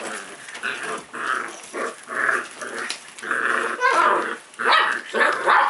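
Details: Playful puppy growling in rough, harmonic bursts, each under a second long and separated by brief pauses, the grumbling rising and falling in loudness throughout.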